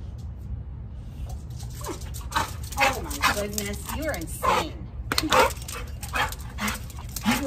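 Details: Hodor, a pet dog, whines excitedly during a tennis-ball fetch game, with drawn-out rising and falling nasal tones in the middle seconds. A person talks over much of it, urging the dog to go get the ball.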